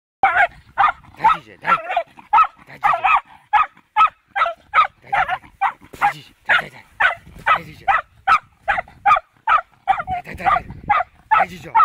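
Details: Fox terrier barking during its first encounter with a wild boar: rapid, sharp barks repeated more than twice a second, fairly uneven in rhythm, loud and sustained through the whole stretch.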